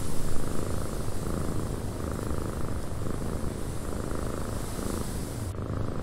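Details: Softer, quieter cat purr in a windy cabin, a low even rumble with gentle breath-paced swells, the airy wind hiss dropping away abruptly near the end.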